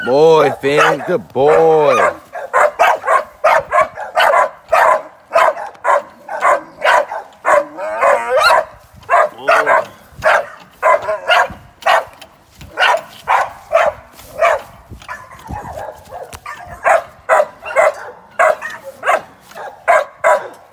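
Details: Working young American Staffordshire Terrier in training for sporting events: a drawn-out harmonic whine opens, then a long run of rapid, rhythmic barks follows without pause.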